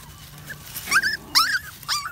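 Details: A happy puppy out walking in the woods lets out three short, high whining yelps, each swooping up then sliding down, separated by brief pauses.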